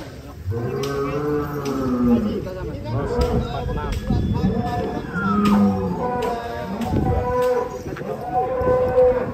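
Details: Rossi, a giant first-prize cow, lows repeatedly: several long, deep moos with rich harmonic bands that bend slightly in pitch, mixed with men's voices and handling noise around the animal.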